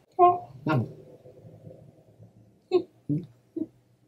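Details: A red Shiba Inu puppy, born April 2020, gives a string of short, tonal yelps and whiny squeaks in a quiet room.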